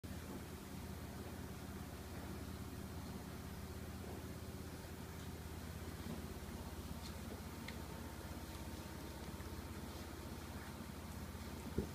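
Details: A steady low mechanical hum fills a small indoor room, with faint scattered clicks and no clear animal voice.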